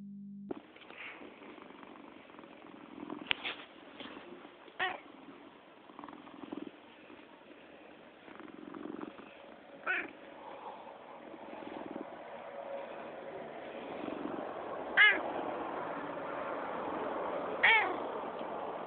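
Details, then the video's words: Happy three-year-old domestic cat, still kitten-like in looks, making an unusual noise: a continuous soft rumbling purr broken by a few brief sharper chirps and clicks. "The happiest cat makes weirdest noise"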